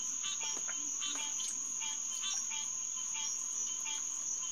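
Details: Green tree frog (Hyla cinerea) chorus recorded at Headquarters Pond, June 2, 2021, about 9:10 pm. Many short nasal calls overlap rapidly, around two or more per second, against a continuous high-pitched insect hum.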